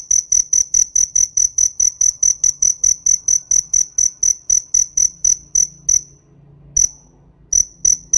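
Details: A cricket gives rapid, bright, shrill chirps, roughly four each second, in a long even series that stops near the end, then resumes after a short silence. A faint low hum runs underneath.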